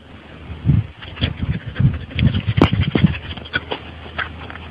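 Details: Sleeping dog making laugh-like sounds while dreaming: irregular, low, breathy chuffs and snorts in quick bursts, rising and falling in loudness over a few seconds.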